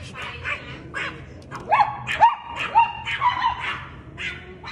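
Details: Chihuahua barking at a cat, a burst of high-pitched yaps clustered in the middle, with a noisy, murmuring background and some less distinct sounds at the start and end.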